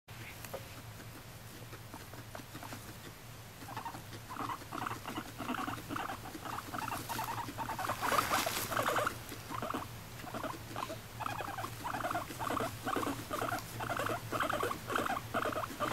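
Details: Moru-chan, a pet female guinea pig adopted in May 2019 at one and a half years old, makes short rhythmic bursts, about two per second, that grow louder after a quiet start. A faint low hum sits underneath.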